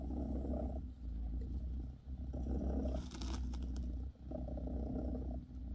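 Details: Bassy the British Shorthair mother cat purrs close up while massaging her kittens; loud, low rumble in breath-long stretches, broken by a brief rustle in the middle.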